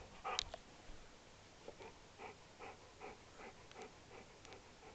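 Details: A female Alaskan Malamute, seemingly underwhelmed on Christmas morning (25 Dec 2012) with one of her presents, gives a run of short, soft, whiny grumbles after a brief sharp noise.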